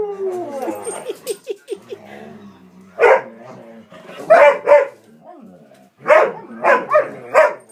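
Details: Three pet dogs playing boisterously, excited because a walk is near: rapid yipping and whines at the start over low grumbling, then loud barks in pairs and a run of four barks.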